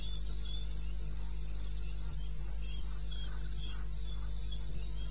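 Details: Crickets calling in the wilderness of eastern Botswana at 2:30 AM on 21 May 2016: high, bright chirps repeated roughly twice a second with a fainter second caller just below, over a steady low hum.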